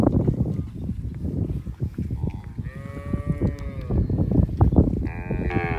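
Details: Cows grazing alongside their calves in a field; two short harmonic moos sound in the second half, the last one higher and more bleating, against continuous low rumbling noise.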